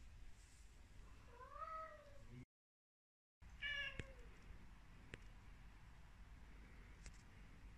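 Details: Domestic Devon Rex kitten in front of a mirror gives two clear meows, the first arching up and down, the second sharper and falling, with faint clicks afterwards over low background hum.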